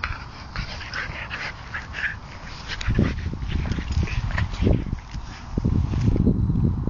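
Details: Two Bedlington Terriers, Ollie and Dessy, playing together: low, rough growling bursts build in the second half over steady scuffling and movement noise, with a few brief higher yips scattered throughout.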